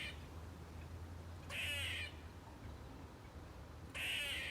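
A squirrel gives two harsh, raspy screeches about two seconds apart.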